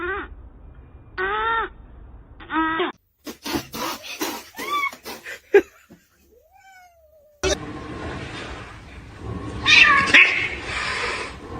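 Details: Three drawn-out, whining cat meows, rich in overtones, open the recording. Clicks and scattered sharp sounds follow, then a single sliding whine and a long, louder stretch of rough noise.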